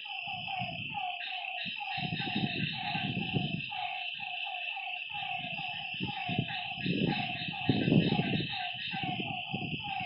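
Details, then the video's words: Night frogs at a lakeside keep up fast, repeated mid-pitched croaks beneath a steady shrill insect drone, while loud low rumbling bursts of noise come and go throughout. "Lakeside night creatures and frog sounds"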